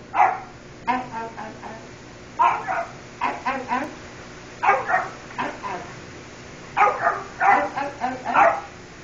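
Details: Three-month-old beagle puppy indoors answering a person, giving short bursts of yappy barks and yips in clusters of three to five, separated by brief pauses, repeated over several seconds.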